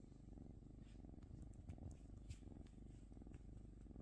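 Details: A cat purrs in a low, buzzing rumble with steady pulsing, joined by a few faint clicks and soft rustles.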